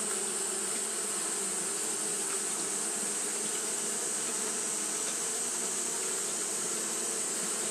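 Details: Continuous wing-fanning hum from Japanese honey bees in hot weather: thick, unbroken low buzzing with overtones, under a steady high-pitched hiss and no other clear sounds.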